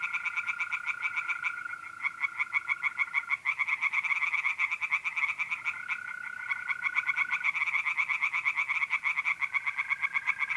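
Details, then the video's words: Singing tree frogs in a pond on an April night in north-east Italy, several callers overlapping in rapid rattling croak series, with mole crickets trilling steadily in intermittent stretches behind. "relaxing singing tree frogs in pond and trilling mole crickets by night"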